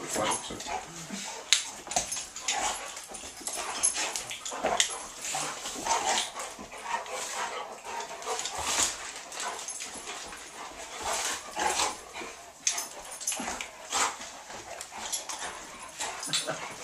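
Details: Two Otterhounds wrestling in a play game, giving scrappy growls, whimpers and yips over scuffling noise, with people talking in the background.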